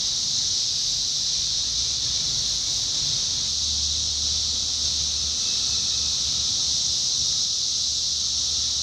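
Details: Summer 2021 chorus of 17-year cicadas in Indiana: a loud, sustained, high buzzing wash that never pauses, joined by a low hum in the middle and a faint thin tone later on.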